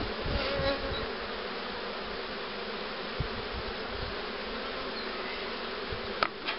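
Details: Honey bees humming around hives readied for rearing queens with a cell-accepting starter hive; continuous even buzzing with faint thumps and a sharp click near the end.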